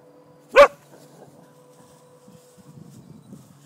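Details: A single sharp, loud bark from a border collie, one of a household trio named Monty, Jake and Eila. The bark is short and bright, with faint low rustling and quiet background noise afterwards.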